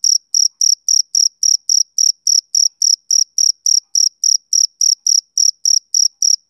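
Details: Summer evening chirping from a male cricket: a high, ringing pulse repeated roughly three times each second, steady in pitch and volume, clear against silence.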